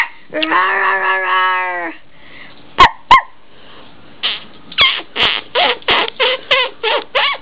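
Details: Blue and white female whippet puppy, eight weeks old, gives a drawn-out wavering whine-howl of about one and a half seconds, falls quiet briefly amid two sharp clicks, then lets out a run of about eight quick, high yaps.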